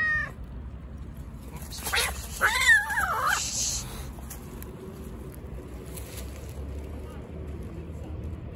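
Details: Aggressive male street cat refusing to share his food with another hungry cat, letting out one harsh, wavering, drawn-out yowl that rises and falls for about two seconds, then quiet with faint background noise.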